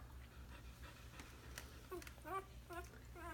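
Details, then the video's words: Newborn puppies squealing: after a quiet start, a run of short, high, wavering squeaks with rich overtones, about five packed into the last second and a half, over a steady low electrical hum. "puppies newborn"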